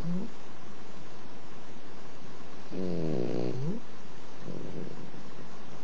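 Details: A very tired dog snoring: one loud snore near the middle with stacked harmonic bands that bend downward over about a second, a fainter snore at the start and a soft breath later, over steady low room noise.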